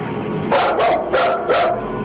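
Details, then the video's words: A full-grown domestic dog barking nervously indoors while backing toward the door, refusing to pass a line in the hallway; three short barks in two seconds over a low room hum. "Listen, when your full-grown dog is barking nervously and actually backing towards the door to get away, it's time to get the heck out of that room yourself."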